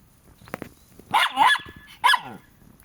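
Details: Pet Jack Russell Terrier, of the pair Treisy and Azzuro, barks excitedly on a hot day: a double bark, a pause, another bark, then the start of a fourth, loud and harsh with faint soft background noise.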